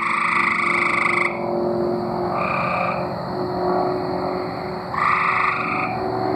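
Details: Arkansas tree frogs in song, a dense chorus of overlapping trilled calls with louder buzzy bursts at the start and near the end, continuous low rumbling background noise throughout.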